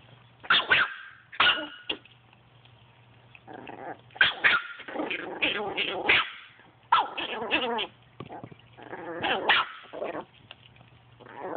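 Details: Play session between a Chihuahua and a Boston Terrier, full of sharp yapping barks interleaved with throaty, rattling growls in irregular bursts, over a constant low electrical hum.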